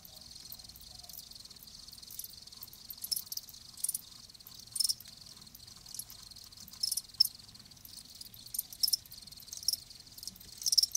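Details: Live crickets giving high, thin chirping trills, a steady background chorus broken by occasional louder bursts every second or two.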